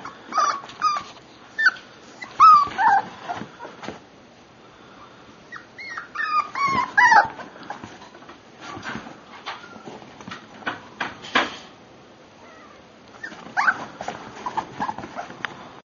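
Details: A Miniature Pinscher puppy, for sale, whines in brief bursts of thin, wavering, falling whimpers with a few yips, separated by quieter pauses, over light tapping and handling noises.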